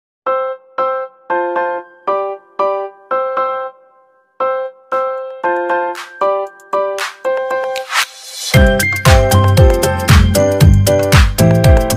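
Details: Electronic keyboard music with a bright repeating chime-like melody, growing into a fuller, louder arrangement with a driving beat after about eight seconds; no animal voices.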